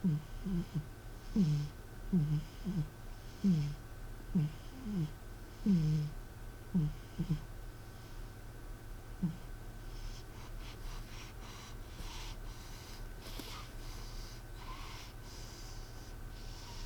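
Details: Snoring of the sleeping cat M, heard one evening while a television played: a regular run of low wheezy snores roughly twice a second for nine seconds, then only quieter breathing and faint household noise.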